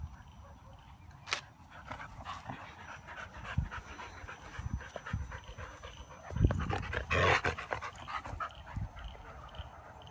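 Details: Siberian Husky puppy playing aggressively with its big brother and mother; soft panting and scuffling with sharp bursts of play noise, a louder rough outburst near the end, constant low room hum behind.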